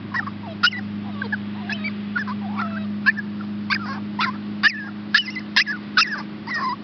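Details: A Chihuahua pup and a Shepherd hound pup at a rescue, Olive and Max, whine in thin, wavering squeaks and brief yips at irregular intervals, several each second, against a steady mains-like hum.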